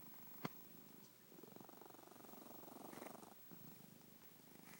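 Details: Sleeping pet cat snoring: a soft, fast-fluttering rumble swelling and fading with each breath, preceded by a single sharp click near the start, indoors and otherwise quiet.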